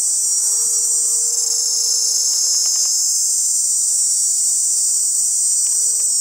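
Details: Male cicadas in chorus, singing with the tymbal to attract females: a steady, shrill, high-pitched buzz that runs unbroken and evenly loud from start to finish, with no pauses or other clear sounds.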